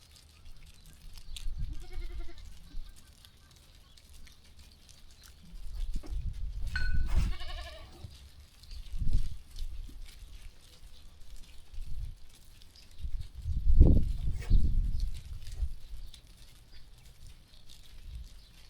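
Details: Farm sheep walking and grazing quietly; a wavering, harmonic bleat sounds in the middle, with softer low calls before and after over a dull background of movement and rustling.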